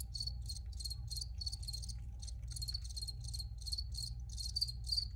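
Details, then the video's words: Crickets sing regularly spaced, high pulsed chirps about three per second, set against a noticeable low droning hum. "Free Cricket Sounds for Re-Use or Relaxation"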